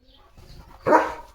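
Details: German Shepherd Leo gives a single loud, deep bark to scare sparrows away from a bird feeder at home, after soft background sounds.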